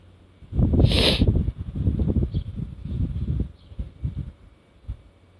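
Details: Black Shiba Inu dog twitching its nostrils while sniffing: a loud, breathy snort-like burst early on, then a run of quick, uneven low puffs of air that fade out near the end.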